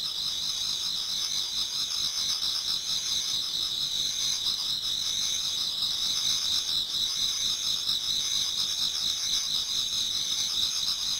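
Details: Dense high trilling chorus from many insects in a Japanese garden, autumn, nearing dawn; the shimmering buzz runs unbroken with a gentle regular pulse throughout.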